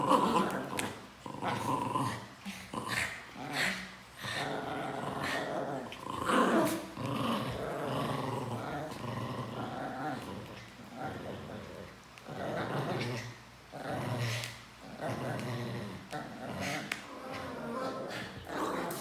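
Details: Pinscher dogs kept as pets, continuous throaty growls and snarls rising and falling in choppy waves, with occasional sharp barks and faint human voices in the background of a small indoor room.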